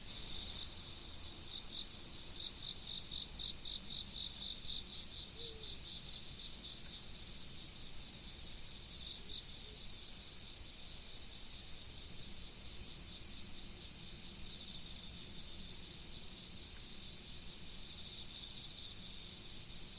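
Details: Beside a river in autumn, a constant thin, high insect trill dominates, with one brief run of rapid chirps near the start and a few faint soft knocks later. Running water murmurs steadily underneath.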